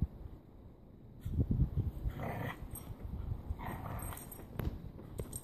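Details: Corgis and a husky snow wrestling at the grandparents' home: a short rumbling play growl, then a couple of breathy, snorting bursts amid scuffling and low thumping.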